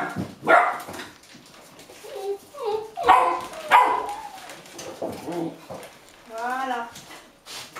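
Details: Impatient Golden Retriever puppies, 8.5 weeks old, wait for a carefully prepared meal in Haute-Savoie, France, in January 2013. Short barks alternate with wavering, rising whines, and a drawn-out tonal whimper follows near the end.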